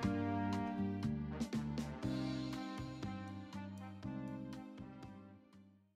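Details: Jazzy instrumental music with brass and steady rhythmic notes plays throughout, with no animal sound audible.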